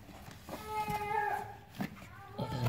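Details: Domestic cat named Lala giving birth indoors at a village home, two kittens already born and a third coming: a thin, steady, high mew held about a second, then a shorter higher one, under soft human voices.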